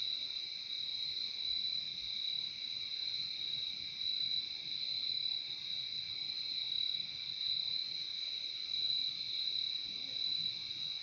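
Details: Crickets in a calm nature recording, sounding a steady, unbroken high-pitched shrill trill with a second, lower ringing tone beneath it and no pauses throughout, over a faint low background rumble.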